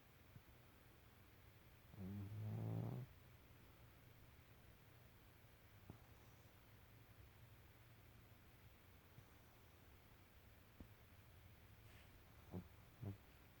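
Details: A deeply sleeping female house cat gives one low, rough snore lasting about a second, followed by a long near-silent stretch with faint soft clicks and ticks.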